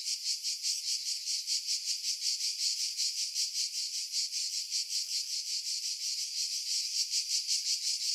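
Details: Pine-dwelling cicadas on Skiros Island, Greece, recorded in July 2018 above Pefkos Bay; a sharp, high, sizzling buzz broken into rapid even pulses, unbroken for the whole stretch.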